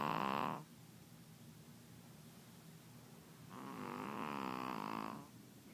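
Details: A sleeping Pekingese snores loudly, as she always does, with harsh rattling breaths separated by a quiet pause; her snoring can drown out the TV.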